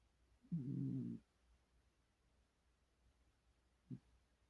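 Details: Sleeping, dreaming domestic cat giving a soft, low hummed murmur of under a second, steady and nasal, followed after a quiet pause by one brief low grunt; room otherwise quiet.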